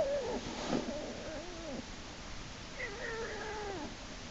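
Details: American black bear cub Jason in Lily's den on March 1, 2011, kicking and screaming as his sibling Hope pulls him back in by his back leg; wavering, bending wails repeated with short gaps, over a steady background hiss.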